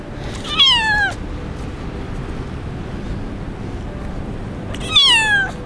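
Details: Kitten abandoned in the street by its owner and rescued; two loud, drawn-out falling meows about four seconds apart, each sliding downward, with quiet background rumble between them.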